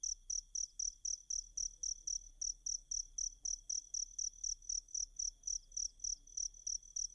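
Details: Cricket song meant as a master sound for Kacer birds to learn. Regular shrill chirps repeat roughly four times each second without pause, backed by a faint steady whine and a soft low hum.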